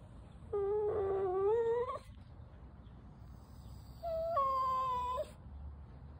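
A Cavalier King Charles Spaniel gives two drawn-out, tonal whines, pleading for something it wants.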